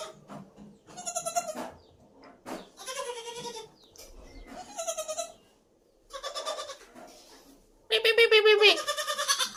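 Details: Goats and young kids in home goat-rearing at Shirvane, Dapoli, in Konkan; a series of quavering, nasal bleats in short bursts separated by pauses, the last one loudest and most tremulous, with faint voices between calls.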